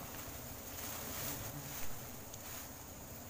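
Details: Steady broadband wind noise rumbling on the microphone, with no distinct animal calls or buzzing heard.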